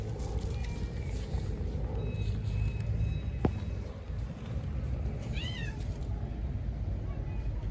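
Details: Stray cat in Istanbul, Turkey, hungry for food and attention, lets out a single short arched meow late on, against constant low street noise and a sharp click.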